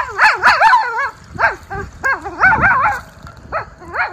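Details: Miniature Schnauzer brothers off leash outdoors in Aroostook County, Maine, on April 18, 2024, running, jumping and sniffing after the spring snow melt: bursts of high, wavering yips and whiny cries, several in quick succession, then single yelps.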